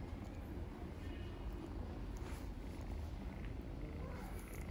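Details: Homeless ginger kittens living on the street in Istanbul purr while reluctant to let their feeder leave; a close, steady low rumbling purr runs unbroken throughout, with faint traffic-like background.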